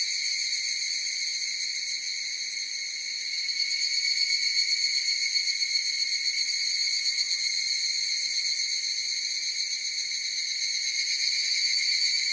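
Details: Higurashi cicadas in chorus produce a bright, shrill, uninterrupted buzz with rapid pulsing, dipping briefly quieter near the start before swelling back; only the insects are heard.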